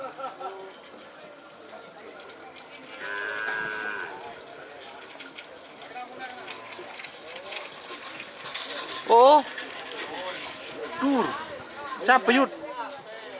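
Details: Madura cattle at a karapan sapi bull race training session on the Asemanis field in Pamekasan, Madura, East Java, Indonesia. Loud harmonic moos rise in pitch near nine and twelve seconds, over steady crowd chatter and outdoor background noise.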